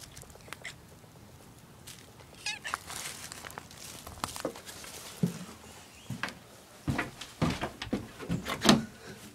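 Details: Pet cats indoors, one named Allie, calling in short meows between scattered bumps and handling noises, several brief voiced bursts rising toward the end, loudest near the final seconds.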